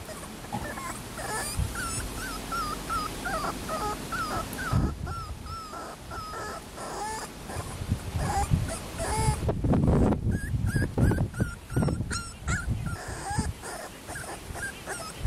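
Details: Schnauzer girl puppy born April 13 producing rapid high squeaky whimpers in clustered series, pausing briefly, then resuming over bumping and rustling sounds of movement.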